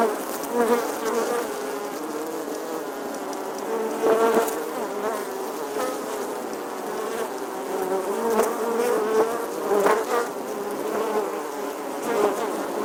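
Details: A bee's buzz in summer, heard as a continuous low drone whose pitch bends up and down slightly as it moves, with several short louder surges near four, eight and ten seconds.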